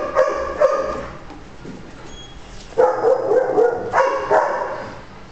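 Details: Coonhound awaiting adoption gives a couple of short barks, then a wavering, voiced baying stretch, followed by more harmonic barks.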